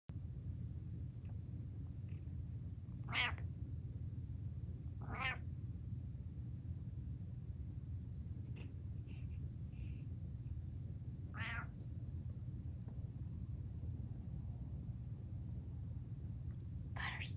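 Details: Indoor male cat meowing beside his empty food bowl: four drawn-out, wavering meows spaced a few seconds apart and a brief fifth at the end, over a steady low hum.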